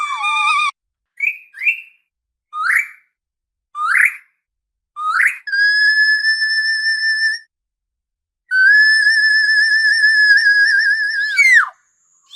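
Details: Orca calling: short, sharply rising upswept squeals repeated about once a second, then long steady whistled tones with rich overtones and a slight waver, the last bending into a quick downward slide; clean, silent background between calls.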